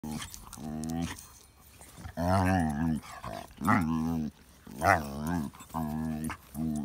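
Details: Dog playing with pug puppies makes a funny sound: a series of drawn-out, wavering, strongly harmonic moans, each lasting up to a second, rising then falling in pitch, with short quiet gaps between them.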